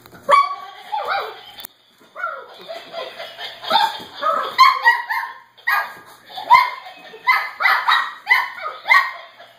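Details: Cavalier King Charles Spaniel puppies wrestling a Laughing Dog toy together; after a short lull, a steady run of squeaky yaps and rising whiny barks repeats roughly twice a second.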